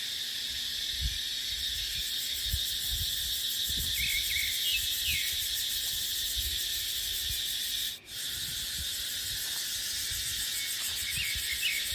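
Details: Cicadas singing in a dry dipterocarp forest in the dry season, with wind: a dense, shrill, steadily pulsing high buzz fills the clip, a few faint short bird chirps, soft low wind gusts, and a brief dropout around eight seconds.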